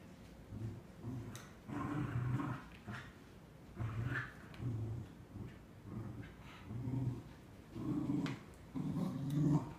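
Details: Two Cardigan Welsh Corgis, a female of three and a quarter years and a bigger male almost nine months old, tugging over a new toy. Low rumbling growls come in short bursts roughly every second, with faint scuffling between them.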